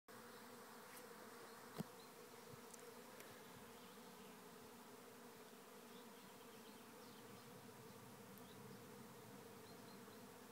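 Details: Thousands of honey bees swarming into a trap hive at Lisballyard near Rathcabbin, Tipperary, Ireland; a steady, dense low buzzing drone holds unbroken throughout, with one sharp click near the start.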